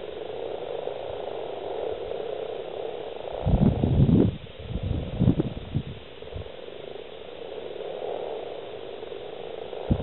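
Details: Male common frogs (Rana temporaria) calling while breeding, over 70 present, in East Kilbride, Scotland, 28 February 2012; a steady massed purring croak, interrupted midway by loud low thumps and rumbling bursts of handling noise.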